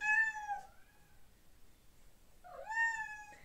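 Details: Male domestic cat mourning for his girlfriend and wanting to get to her, calling to have a door opened. Two drawn-out, harmonic meows: a short first cry, a quiet gap, then a longer one that rises and falls before fading.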